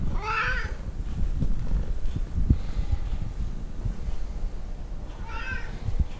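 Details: Tonkinese cats Lu and Barney, a talkative domestic breed from Siamese and Burmese crosses, indoors: a short rising-falling meow opens, then a quiet gap with low rumbling background, and a second similar meow arrives near the end.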